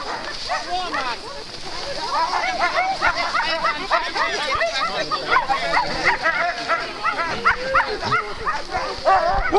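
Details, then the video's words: Alaskan malamute sled teams at the Metsäkartano Sprint start, 4 March 2012; rapid overlapping barks and yips from many dogs, roughly three per second, with people speaking in the background. "Alaskan malamute teams at the start line"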